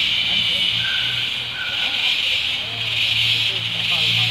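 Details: A steady, dense insect chorus hisses high and unbroken, with a faint low hum beneath, in the tropical rainforest of Tamborine National Park, Australia.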